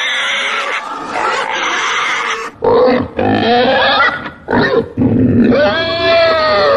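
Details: Domestic pig giving harsh harmonic squeals and grunting bursts, broken by short pauses, with one long rising then falling squeal at the end.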